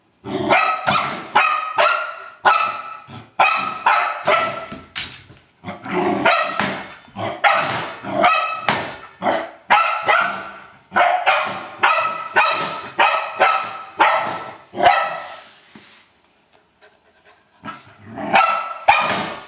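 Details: Old English Sheepdog at play with a trash can, barking in long excited bursts of rapid, ringing barks, pausing briefly around the fifteenth second before resuming.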